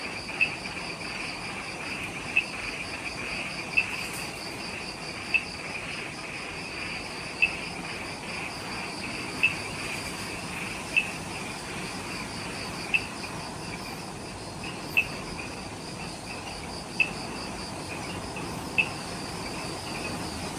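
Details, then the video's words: Twilight insect chorus just after sunset in the forest near the Omoto-dake trailhead on Ishigaki Island, Okinawa, Japan: continuous high, shimmering trills in layered bands, with bright ticks at intervals of roughly two seconds and a faint low rumble. "Relaxing Jungle Ambience with Insects"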